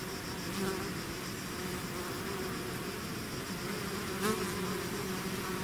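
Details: Honeybee swarm pouring out of its hive, a dense continuous hum with wavering tones near 200 and 400 on a broad hissing background, one brief louder bee passing close around the fourth second.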